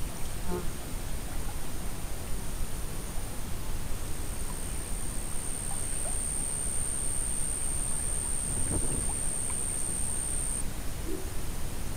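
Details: Steady low rumbling wind or water noise with a constant thin high-pitched electronic whine and no animal calls.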